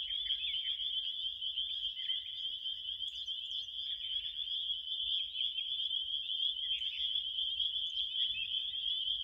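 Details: Crickets keep up an unbroken, piercing trill for the whole stretch, while softer scattered chirps come and go above and below the main tone and low background noise stays faint.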